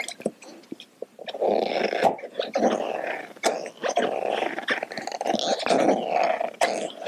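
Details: Domestic dog busy with a dental chew toy, Kaia the Doberman and Edu the Baja rescue taking turns at teeth cleaning. After a second of scattered chewing clicks, a sustained rough growl rises and holds, punctuated by crisp bites and scrapes.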